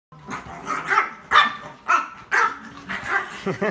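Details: Chihuahua at a dog cafe barking in a quick run of sharp yaps, about one per second, irregularly spaced, each bright and short, with faint voices in the room.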